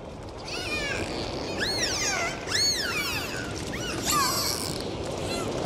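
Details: Dolphins underwater giving a run of arching, looping whistles that sweep up and down, several overlapping with harmonics, over a steady wash of sea noise.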